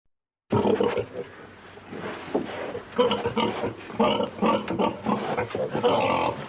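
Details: Pig grunting in a pen: rough, snorting grunts in irregular bursts through the clip, some louder and harsher, over low rustling and scuffling.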